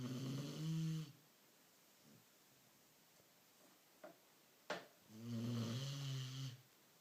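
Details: A sleeping Beagle snores in two long, buzzy, droning breaths about four seconds apart, each lasting over a second, with near silence and a couple of faint clicks in between in a quiet indoor setting.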